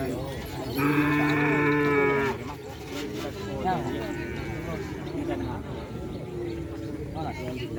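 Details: Small cattle at a silaturahmi gathering: one long, steady, low moo lasting about a second and a half, rich in harmonics, with crowd chatter and voices all around.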